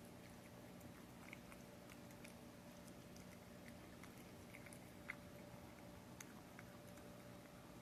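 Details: Frisky, a tabby cat, eating beef paté with gravy indoors: soft, scattered wet chewing clicks and small bites throughout, quiet overall, over a faint steady low hum.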